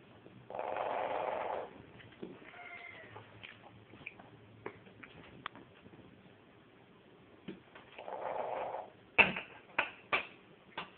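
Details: Female Chihuahua mix dog making a purr-like sound at dinner time to ask for food or attention despite a full bowl: two rough, rasping rumbles of about a second each, with scattered sharp clicks and taps around them.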